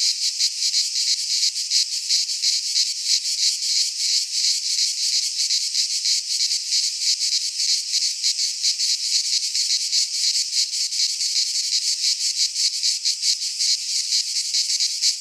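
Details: Cicadas singing in midsummer within a pine forest in Greece, a long, unchanging high-pitched buzz of rapid pulses holding steady in loudness from start to end, with no birds or people heard.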